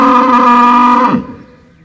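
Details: A single steady, deep cow moo holding its pitch for about a second before it breaks off and fades into quiet.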